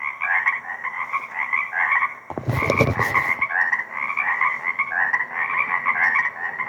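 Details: A dense frog chorus at sunset in a lakeside wetland on 2 April 2024, recorded with a shotgun microphone: overlapping trilled, croaking calls, with a brief burst of handling noise.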